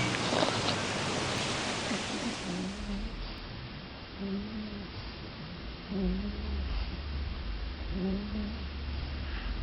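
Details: Bulldog making funny noises: low, rough, snore-like grunts repeat about every two seconds after a burst of broadband hiss at the start, with steady low hum underneath.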